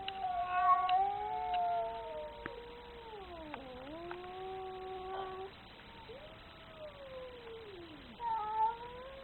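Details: An angry domestic cat gives long, drawn-out wavering yowls, rising and falling in pitch, sliding down into a low moan near the middle and breaking off, with a shorter yowl starting again at the end; a few faint clicks.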